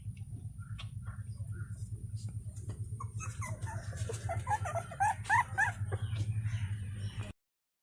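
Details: Puppies give high, squeaky whimpers and short whines, trying to reach their mother for attention while she feeds four of her eight puppies, over a steady low hum.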